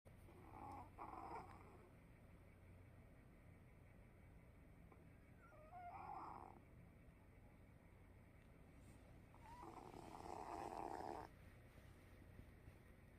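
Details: Sleeping cat snoring softly indoors: quiet rasping breaths in three bursts several seconds apart, the last one longer and louder, over a faint steady background hum.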